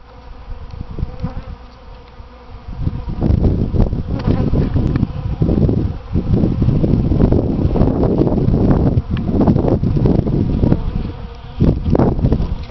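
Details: Many bees visit potted Easter hyacinths outside a front door in spring. Their low, dense buzzing swells and fades as insects fly close to the recorder, growing loud and continuous after the first few seconds.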